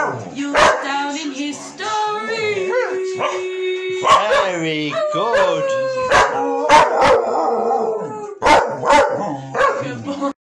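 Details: Two working Cocker Spaniels join in with Rudolph the Red Nosed Reindeer during Christmas chill-out time, giving long steady howled notes with sliding pitch bends, broken by sharp barks and yips, with the music playing behind.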